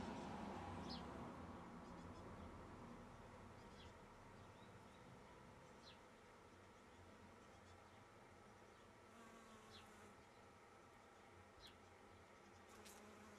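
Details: Honey bees in close-up collecting nectar from a flower, sucking it up with the proboscis and pausing to clean; a steady, low droning hum runs throughout, with faint, brief high chirps scattered in the background.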